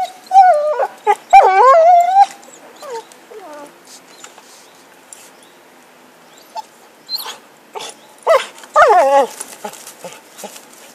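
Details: Happy, a dog playing with a stick, lets out long pleading whines that slide up and down, then a quiet stretch with scattered clicks, and a final falling yelping whine.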